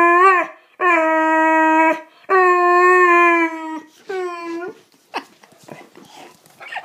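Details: Riley, a pet Boxer, vocalizing when he feels he is not getting enough attention: three long, steady, whining howls of about a second each, then soft snuffling and rustling noises at the end.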